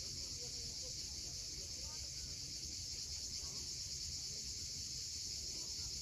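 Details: Cicadas at sunset on the steep coast of Cape Fiolent, Crimea: a steady, unbroken, high-pitched buzzing drone fills the air over a low rumble of waves, with a few faint, brief bird chirps underneath.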